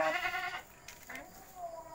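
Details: Goat pen after dark with a brief bleat opening the moment, shaky and nasal for about half a second, then quieter faint sounds and low background noise.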